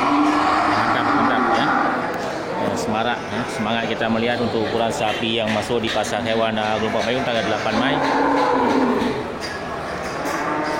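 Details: Cattle market at Geulumpang Payong, 8 May 2021, busy with big local bulls ready for slaughter. Overlapping lowing rises and falls through heavy crowd chatter, with several moos blending together.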